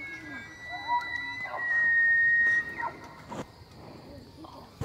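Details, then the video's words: Free-range bull elk in the September breeding season (rut) along the Missouri River, Charles M Russell National Wildlife Reserve, Montana; a long, loud, high whistled bugle holds steady for over a second, with shorter rising squeals before and after. "Giant Bull Elk Bugling in Montana"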